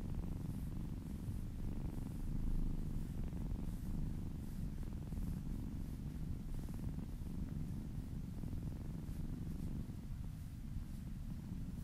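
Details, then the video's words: Happy cat purring while being massaged indoors: a steady, deep rumbling purr running continuously with slight pulsing swells, nothing else notable around it. "Purring kittens ASMR"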